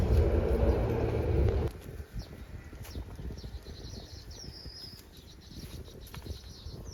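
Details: Tame cow roaming village roads toward the rice fields, a deep, harmonic moo that is already under way as the recording begins and breaks off abruptly after under two seconds, followed by faint bird chirps and rustling outdoor noise.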